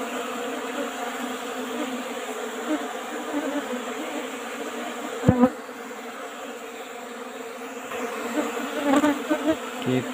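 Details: Humming of Asian honey bees (Apis cerana) as honey is taken from their old-style wooden box: a loud continuous drone with clear harmonic layers, interrupted by sharp knocks around midway and near the end.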